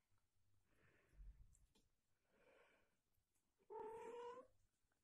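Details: A mother British Shorthair cat nursing her newborn kittens gives soft breathy rasps, then a short, slightly rising meow-like call.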